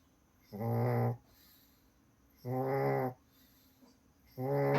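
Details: Pug snoring loudly, deep rasping snores with strong buzzy harmonics, each lasting about half a second and coming roughly every two seconds, with quiet breathing between them.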